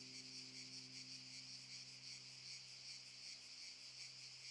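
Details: Cicadas in Park Šuma Musapstan, Zadar, Croatia, August 2014, keep up a loud, steady, shimmering buzz that pulses slightly but never stops.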